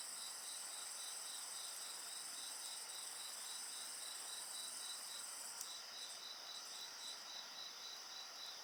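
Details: Night insect voices mixed with bonfire sounds, a chorus of high continuous ringing and a rapid, evenly beaded chirping trill, with a soft crackle from the fire near the middle.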